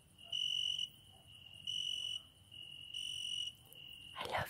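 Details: A cricket singing outside a window at night. It gives three loud, shrill trilled bursts joined by a quieter steady trill, and a brief knock sounds at the very end.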